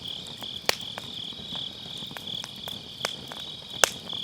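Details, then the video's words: Grass insects on an autumn night beside a round fire pit campfire, recorded on an MKE600 microphone with low cut: a steady high trilling band of chirping, broken by sharp crackles and pops from burning firewood. "가을밤 풀벌레 소리"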